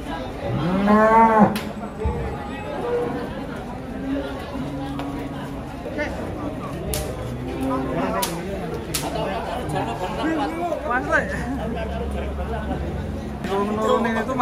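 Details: Several cattle lowing as they are unloaded from a truck in an agitated state; a strong moo opens the clip, then overlapping softer moos and chatter, with sharp knocks and clatter, and another moo at the end.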